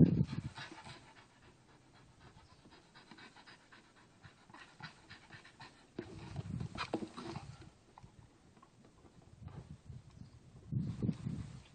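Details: Staffordshire Bull Terrier, a pet dog, playing with a tire. Soft, breathy panting runs throughout with louder, rougher bursts of low huffing around the middle and again near the end, and a few faint knocks.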